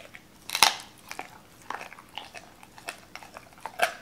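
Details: Crunching bites from Doberman Cola eating raw chicken, a hard crack opening the sequence, then several wet chomps spaced about half a second apart and a final firm bite.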